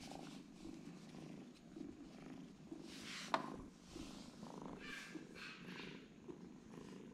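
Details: Quiet rumbling purr from a pair of sleeping twin kittens, even and low, broken by a brief sharp tap midway and light rustling.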